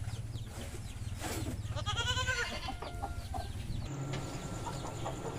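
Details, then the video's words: Goats at a goat farm, described as mating, give one harmonic, wavering bleat lasting about half a second, over a steady low rumble and scattered clicks and other farm noise. "Goat Sounds funny | The sound of Mating Goats"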